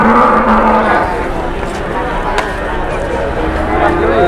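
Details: Large Indonesian cattle arriving to be bid on by dealers, lowing with harmonic moos near the start and again at the end, over a steady din of people talking.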